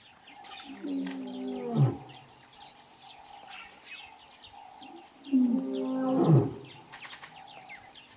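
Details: In the Kgalagadi at Urikaruus in March 2018, a male lion gives two deep, moaning roars that swell and fade, calling to his two coalition brothers.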